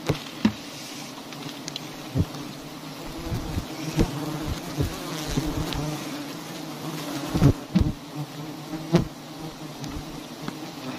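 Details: A colony of honeybees at large wild hives hanging in a tree in a palm garden gives a continuous deep buzzing hum, with repeated clacks, taps and rustling from honey harvesting around it.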